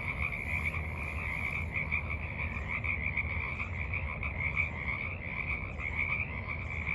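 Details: Frogs croaking in the evening at the edge of a forest pond, March 28, 2023; a continuous throbbing chorus of many callers, steady throughout, with faint higher chirps above and low background rumble.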